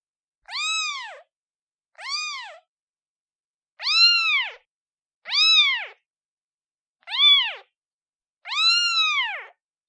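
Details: A newborn kitten calling its mother gives six insistent meows, some brief and some longer, each arched in pitch, at irregular gaps of one to two seconds, with no background sounds.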